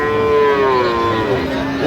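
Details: Sahiwal bull calf at a cattle market on 3 October 2025, bought by a farmer from Dhaka; one loud, drawn-out moo, slightly falling in pitch, with market chatter faint behind.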